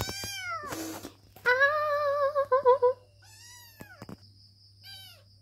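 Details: Kitten meowing to be taken into someone's arms: a rapid series of short and drawn-out meows, some wavering, a loud quavering cry in the middle, then softer falling mews, with brief rustles and a steady low hum.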